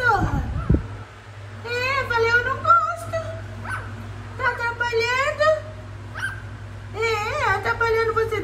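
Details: German Spitz puppies give high, tonal whining yelps with wavering, rising and falling pitch, arriving in short bursts every second or two, over a steady low hum indoors.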